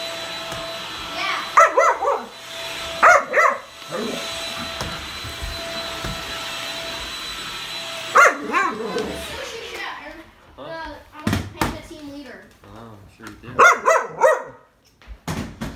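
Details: A female Bull Terrier that hates the vacuum barks in loud, harsh bursts at it, some single and some doubled, with pauses between, over the vacuum cleaner's steady hum, faint growly noises and a few thumps.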